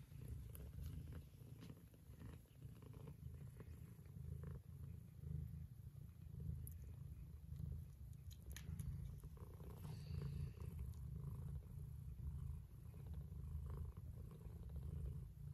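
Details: A mother cat purrs in a deep, steady rumble that swells and fades with each breath while nursing her Scottish straight and lop-eared kittens.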